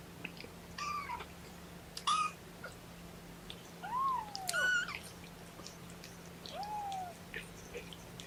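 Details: Young kittens of Mama Seraphina's litter of four, objecting to being pottied before weighing indoors: five thin, high mews, several arching up then down, spaced irregularly over eight seconds, over a steady low room hum.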